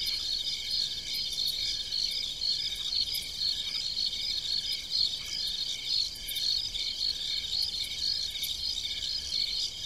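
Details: Crickets calling after dark in country farm fields: sharp, high, evenly spaced chirps about two per second layered over a continuous shrill trilling chorus.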